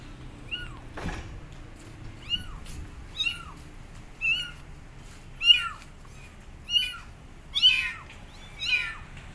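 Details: Abandoned kittens sitting on a gate call for their mother cat with loud meows; about eight rising-then-falling cries repeat roughly once a second, with a single sharp knock near the start.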